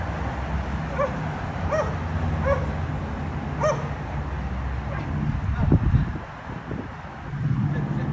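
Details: Dogs barking at a condominium and disturbing the neighbours, three times each day; a few sharp barks open the recording, then fade into low rumbling background noise.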